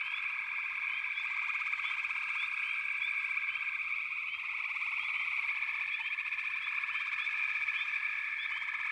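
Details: Frogs calling together in a backwater, a steady high trilling drone layered with quick upward chirps repeated every second or so.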